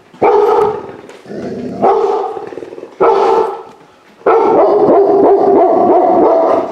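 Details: Puppy pulled from a high-kill shelter, reacting indoors in a home for the first time, gives four loud harmonic barks spaced about a second apart, the last stretched into a long, wavering howl-like cry.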